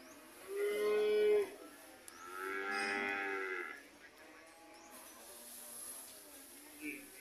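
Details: Red cattle heading home: a short level moo followed by a longer, louder lowing call with a slight rise and fall, then quiet background hiss.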